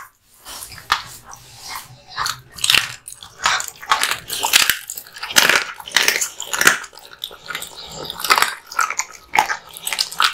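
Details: Male American Bully (Pit Bull) dog, born 2016, indoors chewing hung raw meat and bones: loud wet crunches and bites in irregular bursts, sharp cracking snaps several times a second with short pauses between mouthfuls.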